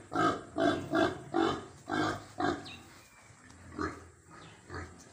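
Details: Farm pigs at feeding time grunting in a quick series of five loud, coarse bursts, then a pause and a few softer, lower grunts trailing off.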